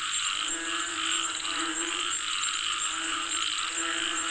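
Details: Chorus of frogs calling for rain, many overlapping throaty croaks swelling and fading every second or so over a constant shrill high drone.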